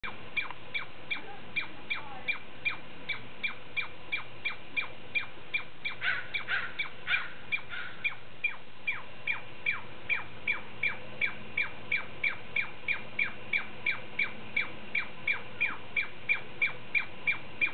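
A Douglas squirrel gives a long run of sharp, chirping calls, about three each second.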